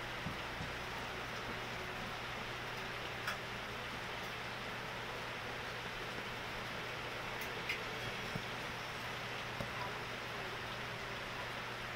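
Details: Steady broadband room noise with a low electrical hum and a few faint ticks and clicks, with no animal voice present.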